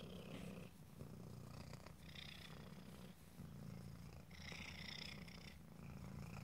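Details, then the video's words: Cat purring in a quiet room, a deep pulsing rumble broken by brief airy, higher-pitched breath sounds every couple of seconds. "ASMR Cat: Purring"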